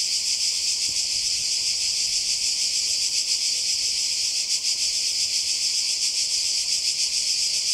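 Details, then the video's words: A seaside Croatian summer soundscape dominated by cicadas: a loud, sustained high-pitched rasp that pulses gently and irregularly, unchanging in strength, with a brief faint low knock near the start. "Kroatien Zikaden und Meer"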